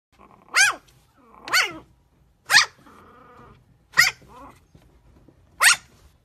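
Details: Chihuahua puppies giving five sharp, high-pitched yapping barks spaced about one second apart, each a short bright burst, with a faint low murmuring growl in the quiet gaps between barks.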